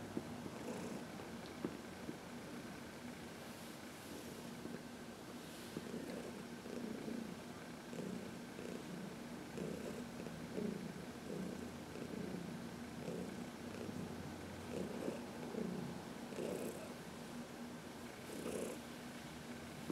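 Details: Heidi, a senior cat adopted in New York City, keeps up a low, pulsing purr while being massaged in the sun, with repeated soft rubbing sounds and faint background hum.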